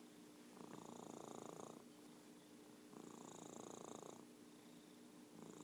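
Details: Orange tabby Merlin purring loudly indoors, a dense pulsing rumble in long phases about a second long, separated by quieter breathing pauses and repeating roughly every two and a half seconds.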